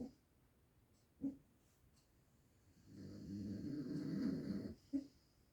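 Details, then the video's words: Dog named Mukhtar snoring: short nasal snorts at intervals, then a long rough rasping inhalation lasting about two seconds, low and rumbling, followed by another snort, in a quiet room. "Мухтар храпит"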